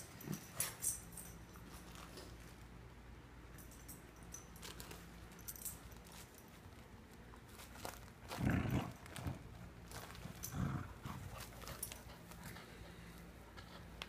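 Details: A female Corgi–German Shepherd mix makes short, rough bursts of play noise while tearing apart a dog toy indoors, over a steady low hum.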